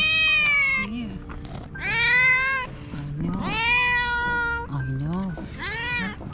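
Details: Sick stray Scottish Fold cat, rescued from the streets, giving a series of drawn-out meows, four main cries with short low chirps between, roughly one every one and a half seconds; a person coaxes softly nearby.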